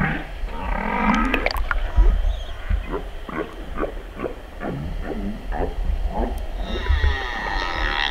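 Humpback whale song: a rising moan followed by a rapid run of short, pulsed grunts.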